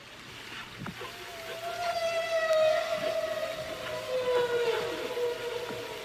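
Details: Humpback whale (Megaptera novaeangliae) song recorded by hydrophone off Bermuda in spring: a long, smooth tonal moan, rich in overtones, that rises slightly then slowly glides downward, echoing in deep water off wave undersides and submarine canyons.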